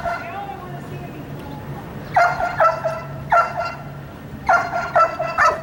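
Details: Sirius, a dog under evaluation as a wildlife detection candidate, barks in clustered bursts: a double bark, a single, then a rapid triple. The barks are bright and harmonic over a steady low hum, with faint voices.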